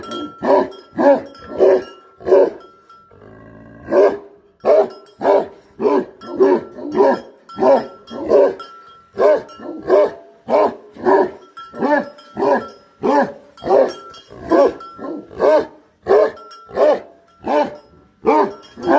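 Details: A Bhote Kukur guardian dog barks in a long, insistent series of nearly thirty deep barks, roughly two per second. There is one pause of about a second early on, and a faint continuous tone runs throughout.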